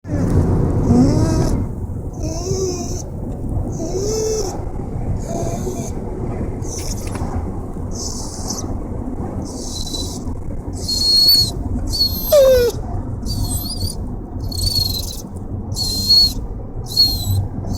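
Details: An excited female dog, happy on a car ride to a new place, gives wavering whines and a sharp falling yelp over a steady engine rumble.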